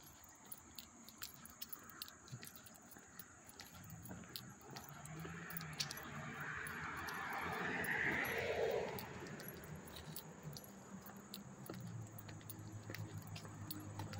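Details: August 13, 2024, Hastings-on-Hudson, New York: up-close crickets hold a steady high-pitched trill, while a vehicle rumbles past midway and a brief squeal rises over it.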